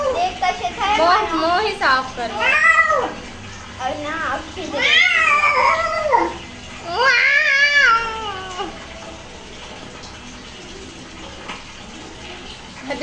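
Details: Cat being bathed in a small indoor room lets out a series of strained, wavering meows, several in quick succession then two long loud wails, mixed with human speech; quieter toward the end.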